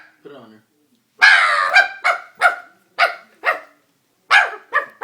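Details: Doberman reacting to a prank: a loud drawn-out howling bark followed by a run of shorter sharp barks, with a brief low voice-like sound at the start.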